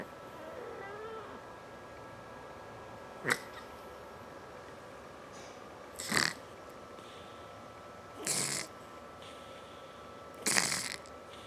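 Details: Dominic, a fat domestic cat, snoring while he naps: four breathy, noisy snores at uneven gaps of roughly two to three seconds over a steady low hum, with a faint short cry near the start.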